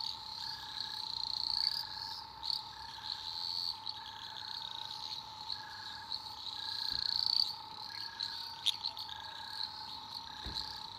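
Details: At night in an Australian rainforest, a chorus of eastern dwarf green tree frogs gives high, shimmering trills that swell and fade. Short, evenly spaced beeps and a constant humming tone sit underneath.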